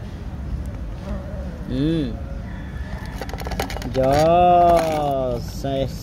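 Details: Domestic cats called to breakfast, one meowing in drawn-out arched wails with rising then falling pitch, a short one near two seconds and a long one after four seconds, over a person's voice and background hum.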